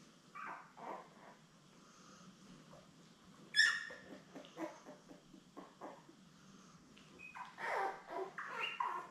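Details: Newborn Labrador Retriever puppies, a litter of seven born May 24, 2021, with their mother Belle, indoors on a puppy cam. Scattered high squeaks and short whimpers come in bursts, with a sharp yelp midway and rustling between them.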